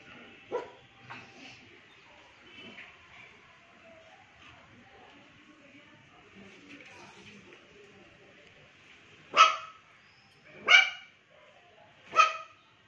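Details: Pomeranian dog barking at a washing lady who came to dry clothes, first time seeing her; faint sounds early, then three loud sharp barks spaced about a second and a half apart near the end.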